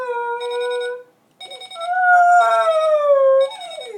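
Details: Pet dog Charlie answering an alarm clock with howls: a steady held note, a brief break, then a longer rising and slowly falling howl that fades downward at the end.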